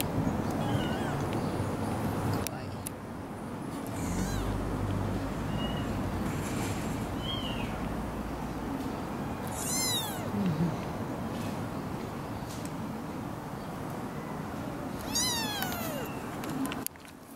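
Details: Tiny kitten, about three weeks old and apparently the youngest of a semi-feral mother's litter of four, being picked up: high, arched meows at irregular intervals, some faint and some clear, over a steady low background hum.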